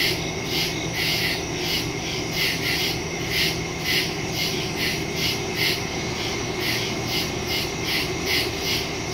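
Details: Nighttime woodland chorus of crickets, captured September 2 on a smartphone with an external stereo mic: regular pulsing chirps repeating roughly twice a second above a constant high-pitched drone and faint low rumble.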